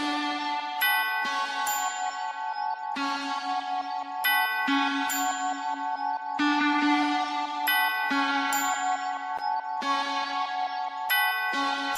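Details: Calm electronic music of ringing, bell-like tones over a sustained chord, with no animal voices.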